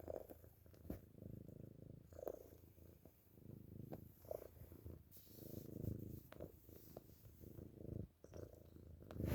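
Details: Pet cat Chubba purring steadily while sucking on a pillowcase indoors, a deep, even, rhythmic rumble broken by occasional soft sucking, fabric rustles and faint clicks.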